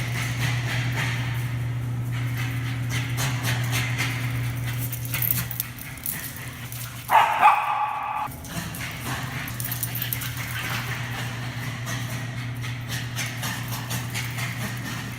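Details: A Bichon Frise, excited at being off the leash, gives a short, high, yappy bark at his leashed brother in a garage, over a constant low mechanical hum with fainter sounds around.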